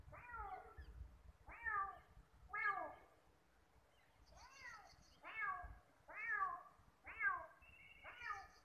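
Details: Ginger kitten meowing while trying to get close to a calico cat that gives it no friendly response; about eight clear, arched, harmonic meows, each rising then falling, repeated roughly once a second, with a faint low hum beneath.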